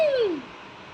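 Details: Pet kitten named Suji indoors, playing with a bell; a single short meow falling in pitch, with a woman speaking Bengali around it.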